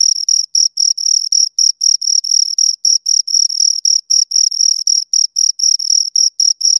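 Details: Two crickets rubbing out bright, trilled chirps in quick succession, close and loud, nearly four bursts each second in an even rhythm, nothing else audible.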